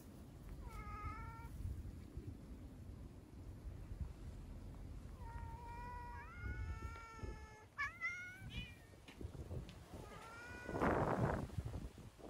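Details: Outdoor community cats in Okayama, Japan, encountered on a trip to a scenic natural area; a series of short and rising meows, some overlapping and wavering, with a louder final cry amid rustling and low background noise.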